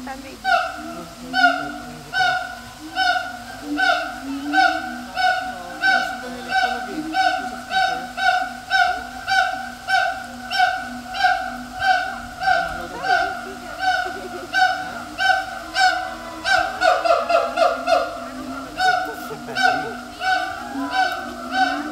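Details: Siamang calling in captivity at Taipei Zoo: loud rhythmic harmonic barks, about one every second, building in intensity. Near the end comes a rapid burst of quicker, rising notes, then steady pulsed calling resumes.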